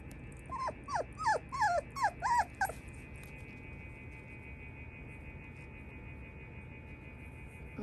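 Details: Female Shiba Inu gives a short run of about six high, squeaky whining yelps, each bending up then down, packed into two seconds, followed by quiet room hum.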